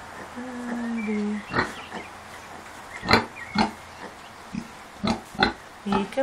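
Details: Kunekune sow, grumpy after being unwell, with her five-day-old piglets; a string of short low grunts and snorts at irregular intervals follows a woman's drawn-out voice at the start.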